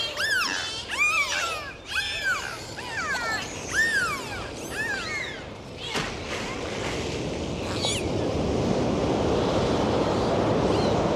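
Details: Dolphins on a dive in the ocean give a rapid run of arched, rising-then-falling whistles, roughly one each second, with harmonics stacked above; rushing water noise swells and takes over toward the end.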